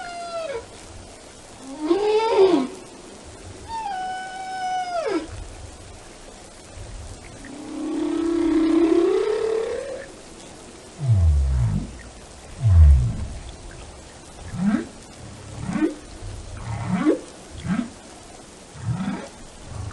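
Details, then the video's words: Whale song, described as relaxing, with harmonic tonal moans sweeping down from high pitch, a rising low groan near the middle, then a series of deep short rising whoops repeated about every second. "the sound of a whale"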